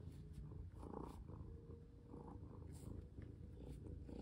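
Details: Close recording of a domestic cat purring during play and collar fitting; a low rumbling purr that swells and fades in soft pulses, with brief handling noises.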